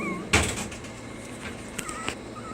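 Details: Puppies being taught to stay give thin, high whimpers, a short wavering whine at the start and a longer rising and falling one near the end. A sharp knock or clatter breaks in early, with faint household noise behind.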